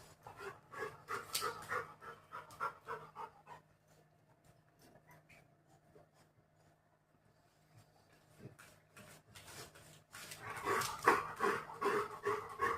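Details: Labrador Retriever busily digging at the ground, panting in quick rhythmic bursts about three per second, pausing for several seconds mid-way, then resuming louder with rustling.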